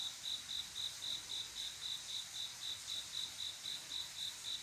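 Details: On a calm summer night in Korea a male cricket calls for a female; brisk high chirps in a steady rhythm, close to four per second, with quiet insect hiss underneath.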